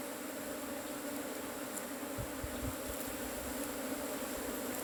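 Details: Cavity-nesting honey bees during hive harvesting, a dense continuous buzzing hum at even volume, with a few faint knocks underneath.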